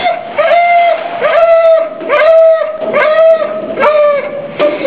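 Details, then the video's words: Noel, a female pit bull mix kept at Mahoning County Dog Pound in Youngstown, Ohio, on January 13, 2014, crying in distress at being in the pound: high, tonal whines that rise and fall, repeated about once a second in an indoor room. "Noel cries"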